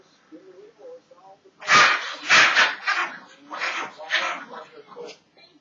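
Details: Cujo, a pet rat terrier that dislikes the broom, barks while being teased with it: a burst of five or six loud, harsh barks, the first two strongest, with human voices before them and murmured speech between.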